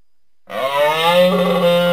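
A moose gives a low, nasal, drawn-out moan that holds a steady pitch.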